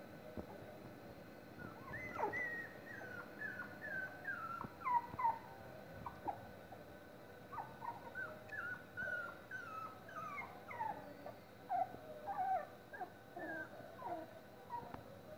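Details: Miniature Schnauzer puppies, 25 days old, whimpering continuously: many short high squeaky whines with falling and wavering pitch, overlapping from several pups in quick succession, with a faint steady background hum.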